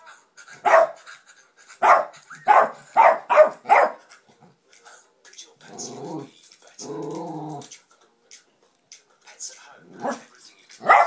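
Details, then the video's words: A pet dog goes wild at the Pets at Home television advert, firing off five quick barks, then a person's voice speaks over the room before the dog resumes with a few softer barks and one loud final bark. "Dog barking at advert!"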